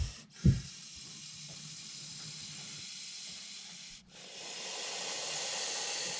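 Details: Montpellier snake, agitated by an approaching hand, gives long forceful hisses of rushing air, broken by two short pauses, growing stronger toward the end; a sharp knock sounds near the start.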